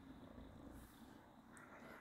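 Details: Domestic cat in the middle of a thorough fur-grooming session, cleaning itself; a soft, steady low purr hums quietly through the whole two seconds over a faint background hiss.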